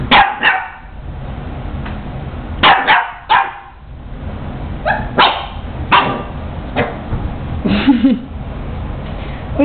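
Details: Female Boston Terrier puppy barking at her own reflection in a mirror; short sharp barks in uneven bursts, some doubled, spread through the clip, with a person talking to her softly in between.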